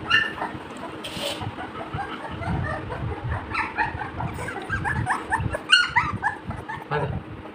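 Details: Playing Labrador Retriever puppies produce a steady run of short, squeaky yips and whines throughout, with a brief human voice and low rumbling noise underneath.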